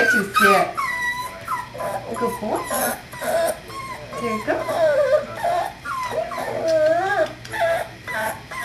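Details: Whiskey, a five-week-old puppy from Star's fourth litter, born 12-5-11 and recorded 1-13-12, gives repeated high, wavering whines and whimpers. A person talks over the puppy throughout, and a steady low hum sits underneath.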